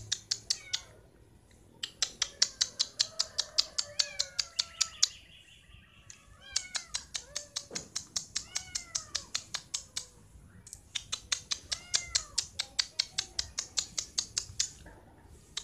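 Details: Orange cat stuck on a roof, meowing repeatedly with short rising-then-falling cries, set against a loud, rapid, steady run of sharp clicking that continues through most of the recording.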